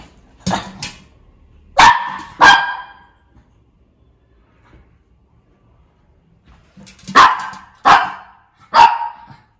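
A Shih Tzu gives sharp, high barks in two bursts of three, with a quiet pause between.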